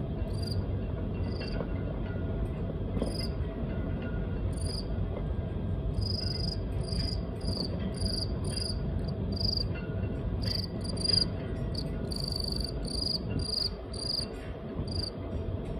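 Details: Taiwan field cricket in Okinawa, a male calling unseen in the background behind a silent female; short high chirps repeated roughly every second over steady low rumbling background noise.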